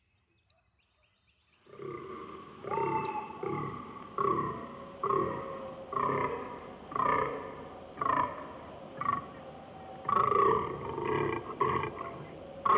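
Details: Nearly two seconds of quiet with faint clicks, then a fallow deer (Dama dama) gives a steady run of deep, rasping groans, about one per second, continuing for some ten seconds.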